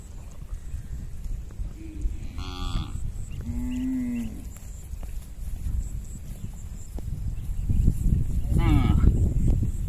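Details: Tame herded cattle, hundreds of them, crossing a small bridge while heading home to their pen; a brief moo, then a longer lower lowing call, and another moo near the end above constant heavy hoof trampling.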